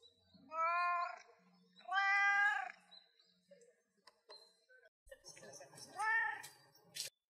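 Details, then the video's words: Pet cat crying in a cute voice, giving two long, clear, harmonic meows that rise and fall, then after soft sounds and brief human-like voicing a third arched meow and a sharp click. "Cat which cries in a cute voice : 可愛い声で鳴く猫"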